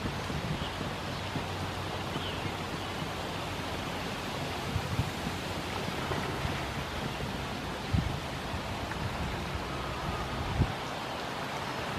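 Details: Steady broadband wind and water rush with a few low thumps, and no animal calls are heard.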